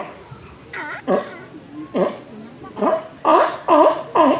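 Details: Sea lions Jimmy and Cookie barking in turn during a zoo show at Zoo de La Flèche on 11 August 2017. Short, harsh, dog-like barks come in a loose series that grows faster and louder toward the end, with faint crowd noise behind.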